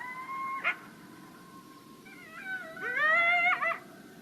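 Coyotes give long, wavering howls that slide upward and break into quavering, yodel-like notes.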